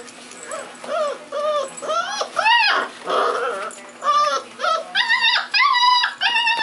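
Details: Wild hotel puppies at day 35 give a steady run of high, arching whimpers and yips, each rising then falling, repeated roughly every half second with rich overtones and a brief noisy scuffle in the middle.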